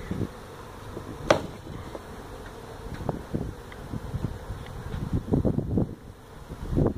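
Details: Feral honey bee colony that built its hive inside a tractor tire in a stack of tires at a citrus orchard in Mission, Texas, disturbed during hive removal; low, rough droning buzz with irregular louder surges and scattered handling thumps.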